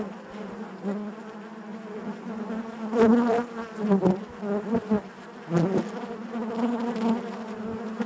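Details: Honey bees humming inside the hive, a low continuous buzz that swells into several louder, brighter pulses midway and again near the end, with faint knocking sounds between.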